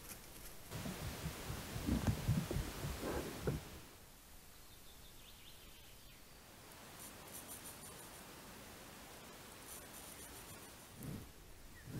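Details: Low thumps and handling noises, then quiet background hiss with faint high ticking; no animal voice.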